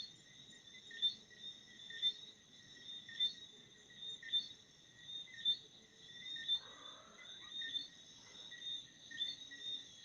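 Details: Night-time crickets giving regular high chirps about once a second above a continuous shrill buzz; a brief fainter sliding note appears midway, over soft low ambient noise.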